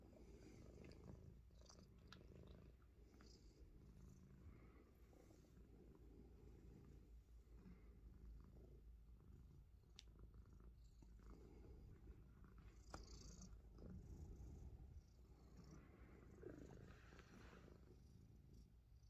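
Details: Purring Himalayan Persian pet cat that loves biting fingers; a continuous deep, throaty rumble pulses rapidly and evenly throughout, with occasional soft clicks and rustling from handling.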